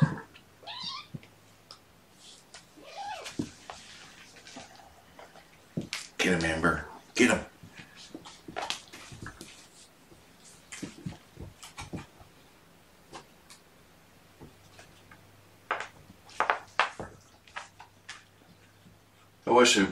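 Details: Domestic cat Gamora, a mother of five kittens born April 14, calling indoors in the morning of 6 June 2018 to summon her human helper; short rising, high mews come in brief bursts between clicks, rustling and a person talking.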